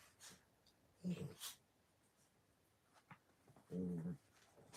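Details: Puppies at play indoors, giving two short, low growling grunts, one near the first second and a longer one near the fourth, with soft rustling and quiet room noise between them.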